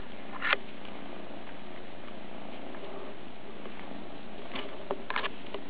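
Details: Captain Cat Sparrow, a two-month-old kitten, purring: a steady low rumble running through the whole stretch, broken only by a few brief soft clicks near the start and again toward the end.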